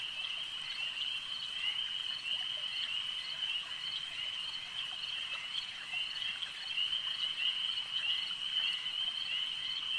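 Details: Frogs at a lake produce a dense, shimmering high-pitched chorus that rises and falls gently in loudness, with short ticking notes scattered across the steady drone.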